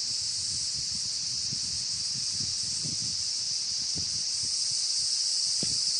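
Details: Cicadas and evening cicadas (higurashi) sing together in a dense, steady, high-pitched buzzing chorus during an evening walk.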